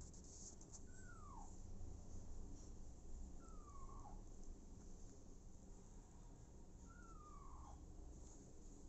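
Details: Faint, thin cries of an abandoned kitten adopted by mother cat Smokey: three descending mews, roughly every three seconds, above a steady low room rumble.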